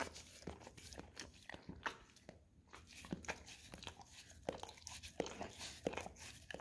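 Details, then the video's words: Pet Golden Retriever at a peanut-butter-covered Orapup tongue-cleaning brush, producing irregular wet licks and scraping smacks with short pauses between bursts, in a small quiet room. "Dog Licking Orapup Tongue Cleaning Brush - Golden Retriever"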